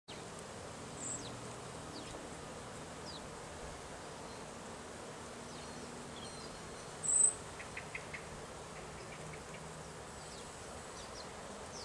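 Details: Western honey bees collecting autumn pollen give a low, steady humming wing buzz that drifts in and out beneath a soft hiss.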